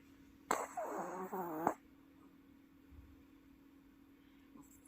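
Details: Sleeping Welsh Corgi at home in Paju, South Korea, snoring so loudly it sounds like a person: one wavering, voiced, harmonic snore lasting just over a second, then quiet room hum.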